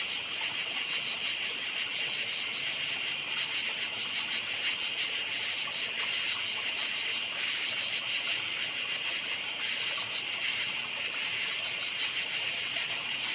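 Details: Crickets calling in a forest after dark: a constant high-pitched chorus with rapid chirping pulses that fade and return, steady background, no birds or people.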